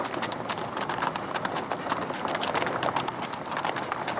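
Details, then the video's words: Big red sorrel American Saddlebred mare hard at work on a Texas trail ride: a rapid, steady clip-clop of hooves with many sharp strikes each second, set against constant hiss from outdoors. "Big Red American Saddlebred Mare Hard at Work on the Texas Trail"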